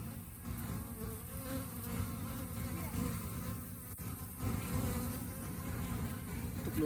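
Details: Honey bees coping with rainy-season hunger; a continuous low droning buzz, swelling slightly in the second half, with soft higher fluttering tones and a brief tick partway through.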